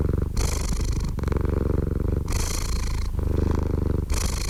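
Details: Close, loud cat purr, a buzzing low drone that swells into airy, rasping bursts roughly once a second, alternating smoothly between the two breathing phases.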